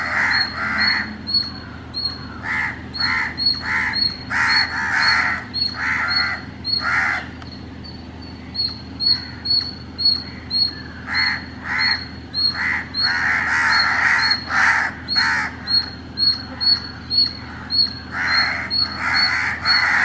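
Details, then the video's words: Indian palm squirrel in Chennai, Tamil Nadu, calling in the early morning: a steady series of sharp, high-pitched chips repeated roughly twice a second, overlaid by loud, harsh rasping bursts that come and go. "The sweet sound of an Indian Palm Squirrel"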